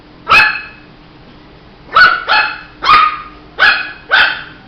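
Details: A Shih Tzu puppy gives short high-pitched barks, one alone and then a quick pair followed by three more, with clear harmonic bands and a low constant hum in the background.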